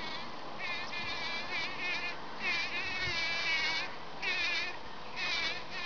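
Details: Bees packing in pollen produce bursts of high, buzzy humming that swell and fade every second or so as they move about, over a soft, steady background hiss.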